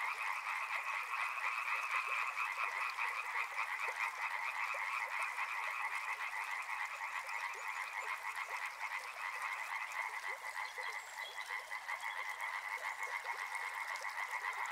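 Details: Frogs calling together by a river, a thick rattling chorus of rapid croaks at two pitches, steady and loud for the whole stretch with slight easing toward the end.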